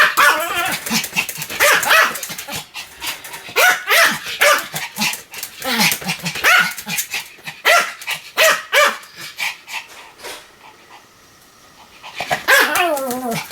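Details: Pomeranian named Sam delivering a long string of sharp, evenly spaced high barks, then a short quiet gap before the barking resumes.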